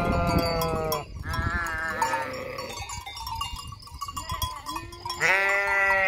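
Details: Flock of sheep bleating near the empty Hotel Fürigen: several long, wavering harmonic bleats overlap, one fading near the one-second mark and another starting loud at about five seconds, with faint bell clinks in the background.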